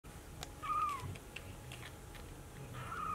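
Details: Brown Maine Coon kitten at a breeder in Tokyo, Japan, searching for its mother: two high, thin, slightly rising-then-falling meows about two seconds apart, over a faint steady hum in a quiet room.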